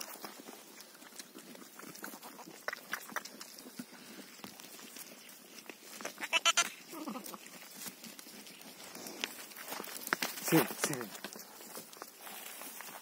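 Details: Sheep bleating where a ewe has just given birth to a lamb: a wavering, quavering bleat midway, then a short harsher call later, over steady rustling, shuffling steps and handling noise.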